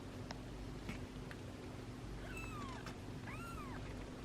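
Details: Tiny ginger domestic kitten, last born of his litter, filmed indoors in his first days; two clear, high rising-then-falling meows, the second louder and arched, over a steady low electrical hum.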